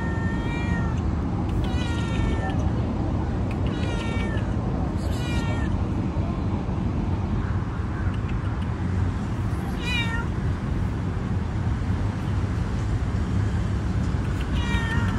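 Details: Orange domestic cat meowing loudly: about five drawn-out, harmonic meows spaced irregularly over fifteen seconds, some falling in pitch at the end, over a constant low rumbling background.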